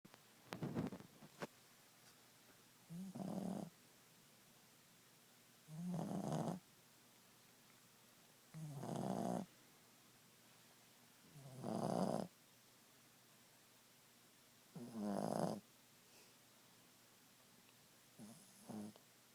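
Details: Ziggie, a Boston Terrier, snoring at nap time: rough, rasping snores roughly every three seconds, each a buzzy burst with a low hum, plus a few softer clicks and snuffles at the start.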